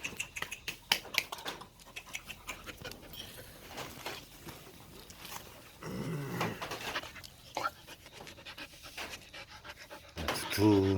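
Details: Jindo kept as a pet dog in Iksan, panting in quick, irregular breaths over noisy background, with people talking nearby and a louder voice near the end.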